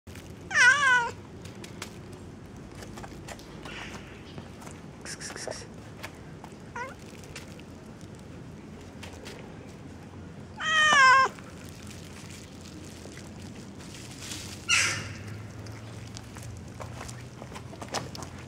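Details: Hungry white cat eating boiled fish on the street at 5 am, giving three loud, rising-then-falling harmonic meows near the start, middle and end, with a few fainter short meows between, over a low steady street hum.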